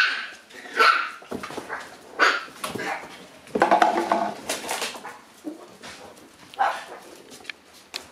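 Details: Momo, a black Shiba pup born on August 25, barks on the morning she leaves: a busy string of shrill, piercing yaps and whiny barks at irregular intervals, some overlapping, loudest around the middle.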